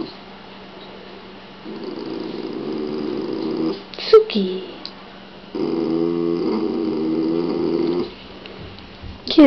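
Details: Shiba Inu indoors making gargling noises, with a second Shiba over a rawhide; two stretches of low, rattling, harmonic grumbling separated by a quiet gap and a brief sharp squeak.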